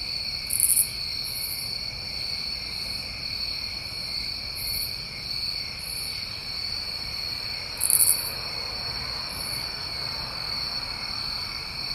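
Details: Crickets calling through a New England summer night, steady high trilling chorus in two bands, broken by loud short raspy buzzes at the very top of the range, two strongest near the start and at eight seconds.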